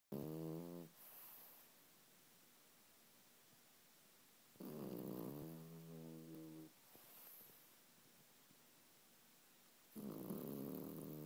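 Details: Sleeping French Bulldog snoring indoors: harmonic, throaty inhalation snores about 1 to 1.5 seconds long, spaced roughly five seconds apart, with softer hissing exhales between them.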